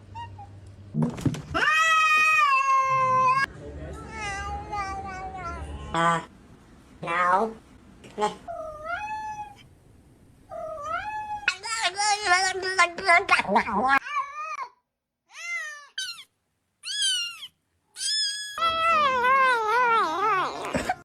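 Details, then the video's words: Domestic cat making strange noises indoors; long wavering drawn-out meows and yowls in varied pitch, some rising and falling, with short silent gaps and a human voice audible at times. "cat making strange noise"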